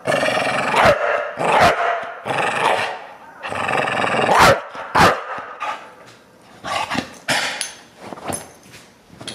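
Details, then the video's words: Deisal the Bulldog reacts against the camera with repeated raspy growls and snarling barks in uneven bursts, loudest early on and tapering into shorter, quieter grumbles toward the end. "Bulldog - Deisal hates the camera"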